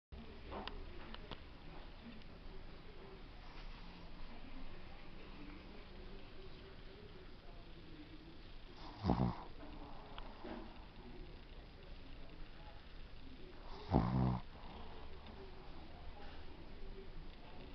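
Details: Yudi, a pet Shih Tzu, asleep and snoring: two rough, low, buzzing snores roughly five seconds apart rise out of a quiet room hum, with soft faint breathing between them.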